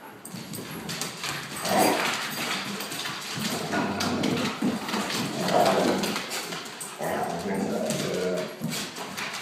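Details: Akitas at home wrestling with a German shorthaired pointer, vocalizing in play rather than aggression: long rough growling grumbles rising and falling over several seconds, with a few brief higher yelps amid thumping and scuffling.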